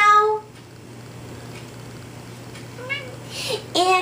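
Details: Gus Busters, a pet cat, meows indoors while a person sings "If You're Happy and You Know It" with "say meow" prompts. Tonal, slightly rising meows come at the start and near the end, with a low hum throughout.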